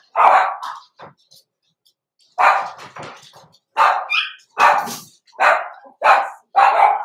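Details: Young Blenheim Cavalier King Charles Spaniel puppies in an indoor pen, born November 2022; loud, bright barks spaced under a second apart, some with a rough edge, after a brief pause early on.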